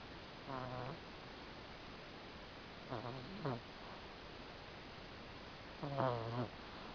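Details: Chihuahua asleep in the dark very late at night, snoring; three bursts of buzzy, harmonic-rich rasping breaths, around 0.5, 3 and 6 seconds, the later ones doubled, over a steady hiss.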